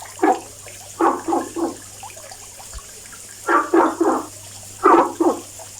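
A frog gives short, hoarse croaks in quick clusters of two or three, with pauses between.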